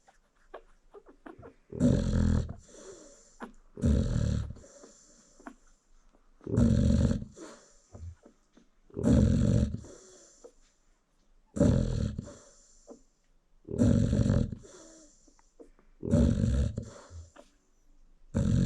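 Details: Nursing American Bully mother dozing beside her newborn pups, giving a steady series of seven loud, gravelly snores at about two-and-a-half-second intervals, breathing quietly in between.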